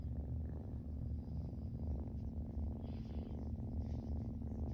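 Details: Purring Siamese kitten Zurvān flops over for belly rubs, his low, throbbing purr running unbroken from start to finish, with soft scattered rustles.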